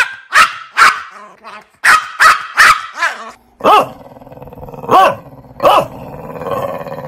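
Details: Dog barking: a run of high, sharp barks, then lower, rounder barks over a continuous rumbling growl-like undertone.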